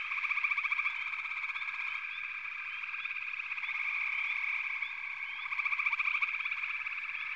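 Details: Chorusing frogs fill the scene with a continuous buzz of rapid trills, louder bursts of pulsed calling at the start and near the end, and many brief rising chirps mixed in.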